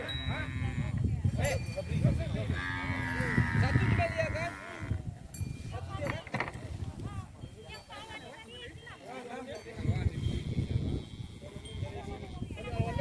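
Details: Fat tame cows herded through rice fields near a village, giving drawn-out, low harmonic moos around the two-to-four-second mark, with cowbells clinking and people talking nearby.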